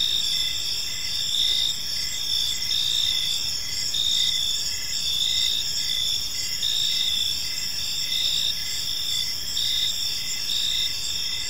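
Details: Crickets in a park as evening falls: several overlapping high ringing trills, broken into short chirps with small pauses between them, over a quiet hiss of background noise.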